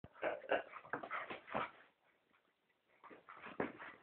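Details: English Cocker Spaniel Flossie, wrestling gently in play with Sephi indoors: rapid rough, growly bursts for about two seconds, a short quiet gap, then a few more grumbling bursts.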